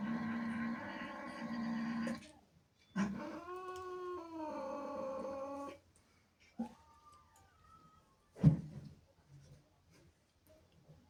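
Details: Jealous female house cat protesting kittens in her territory: a low droning growl-yowl, then a louder wavering caterwaul of about three seconds, followed by quiet with a thump and a brief thin cry.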